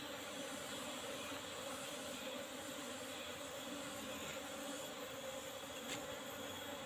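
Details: Asian honey bees (Apis cerana) from a colony kept in an old-fashioned box covered only with a used asbestos sheet, during a honey harvest: a steady, even droning buzz with a low hum, unbroken throughout, with a faint brief click near the end.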